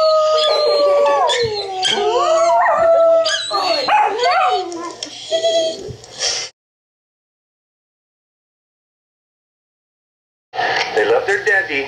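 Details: Two dachshunds watching Puppy TV: one howls in long, wavering tones that slide down and rise again while the other stays silent, mixed with a person singing.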